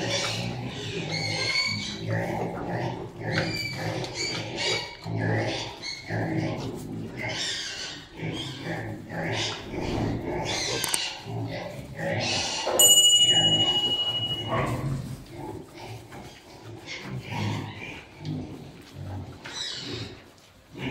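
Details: Sow in heat mounted by a Piétrain boar on a farm: rapid, irregular run of hoarse grunts and huffs, about three per second, with some harsher squeal-like noise and a brief electronic tone midway.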